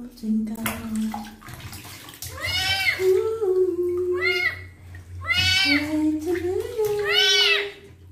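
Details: Twinkle, a kitten, meows during his first bath while his wounds are cleaned; four loud, arching, harmonic meows come at roughly two-second gaps, mixed with running water and a person talking.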